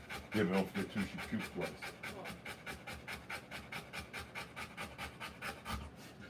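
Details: Rottweiler panting during the birth of her puppies, steady breathy bursts over two per second, with brief human speech early on.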